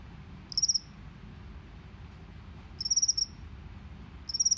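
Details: Natural field cricket of rice paddies, 'ngebren' style, giving three short, high chirps of about five quick pulses each, spaced roughly two seconds apart, against quiet low background noise.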